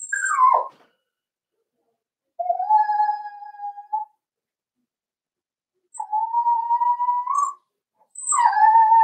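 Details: Cavalier King Charles Spaniel puppies at four weeks old, in a home pen while being socialized with older dogs and offered puppy mash; steady, level whines held over a second each, repeated in a series with silent pauses, one sharp falling yelp opening.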